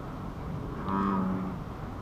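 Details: Wild American bullfrog calling at an ecology park on 28 April 2015, heard from a bird observation hut: one deep, droning, moo-like note lasting about half a second over a steady low background hum.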